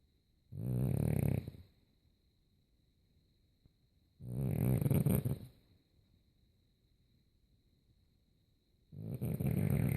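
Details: Sleeping French Bulldog snoring loudly. Three long, throaty, rumbling snores come about every four seconds, with near silence between them and a thin constant high tone in the background.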